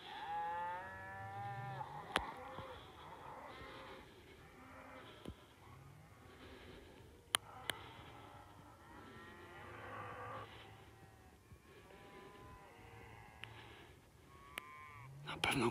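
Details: Cows in Poland panicking and defending themselves as wolves seize a calf: several overlapping drawn-out bellowing moos, some strained and rising, with a man speaking in the background.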